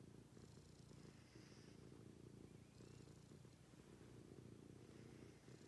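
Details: Domestic cat purring during a morning routine indoors: a steady low rumble throughout, with faint higher chirps or squeaks above it.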